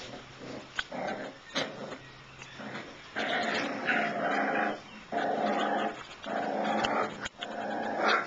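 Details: Shiba Inu puppies growling in rough bursts of about a second each, some with short barks mixed in, several loud stretches separated by brief quiet gaps.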